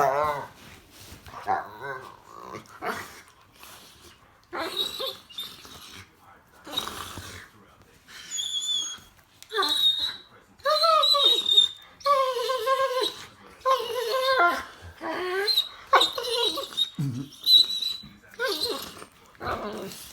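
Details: Happy Rottweilers, possibly puppies, make a string of grumbling, moaning and whining noises.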